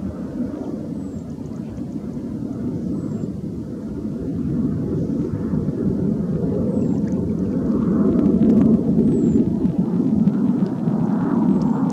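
Steady low rumbling engine noise, like a distant aircraft or vehicle, that swells slightly in the second half, with no animal calls.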